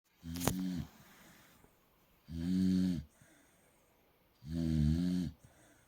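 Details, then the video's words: Molly, a pet dog, snoring while asleep, likened to a pig: three deep, harmonic, rasping snores, each lasting under a second and spaced about two seconds apart, with a sharp click near the start. "my dog Molly snoring like a pig"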